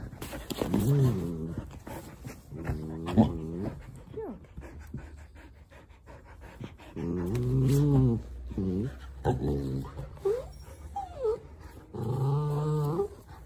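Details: Mini dachshund and husky playing together indoors, the husky keen to play with the little dachshund; a run of wavering, talk-like moaning howls in repeated bursts, with brief rising whine slides between them and faint background speech.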